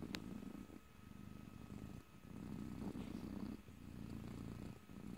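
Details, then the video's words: Close purring from a pet cat, a low continuous rumble rising and falling with each breath, a brief faint click near the start, otherwise calm and quiet. "ASMR Cat: Purring"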